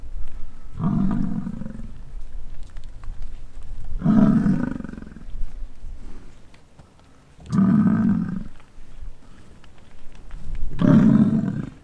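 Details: American bison bellowing during the rut on a ranch in Wright, Wyoming: four deep, drawn-out growling roars, each about a second long, spaced roughly three to four seconds apart, lion-like and rumbling.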